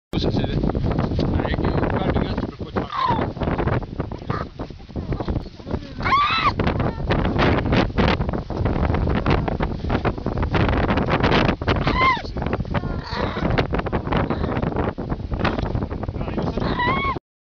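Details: Hungry baby seal squealing: several high, arched, harmonic wails rising then falling, spaced a few seconds apart, over heavy wind buffeting and rustling noise.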